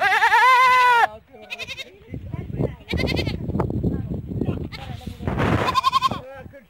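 A goat gives a loud, quavering bleat, followed by more wavering bleats amid people's voices.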